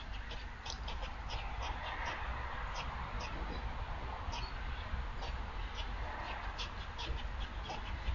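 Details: Predator call of a squirrel reacting to a threat, November 27, 2022: insistent, evenly spaced harsh chucking notes repeated quickly and continuously, backed by a persistent low roar of ambient noise.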